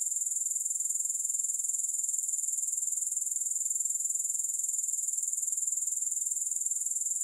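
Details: Grasshoppers calling without any music: an unbroken, very regular shrill pulsing at about four pulses per second, uniform in pitch and loudness throughout.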